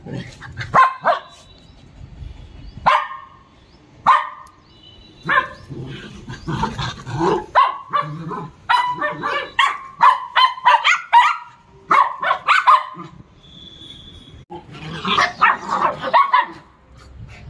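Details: Dog at playtime with a child, barking in sharp, clipped bursts: single barks at first, then rapid runs of yaps around the middle and a dense burst near the end, separated by quiet pauses.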